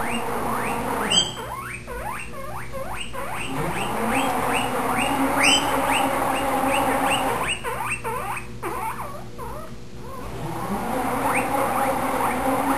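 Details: Spike, a pet guinea pig, 'sings' for his supper as the salad spinner runs before feeding: a fast series of loud, rising, squealing whistles, about two or three a second, with short pauses and a steady household hum beneath.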